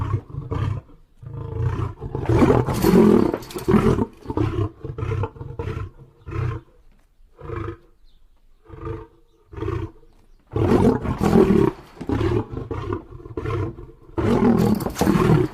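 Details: Lion roaring: a full bout of deep, throaty roars at first, easing into a string of shorter grunts spaced about a second apart, then building back into loud, rapid roaring toward the end.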